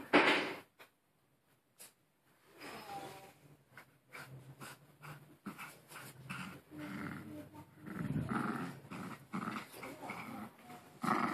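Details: Maltese dog growling while playing with a new toy it will not let go of indoors; low rumbling growls in uneven bursts mixed with huffing and rustling, a woman's voice briefly heard.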